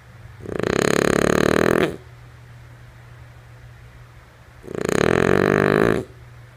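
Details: Two long, vibrating snores from Lulu, a female French Bulldog asleep. They come roughly four seconds apart and each rasping breath lasts about one and a half seconds, over a faint low background hum.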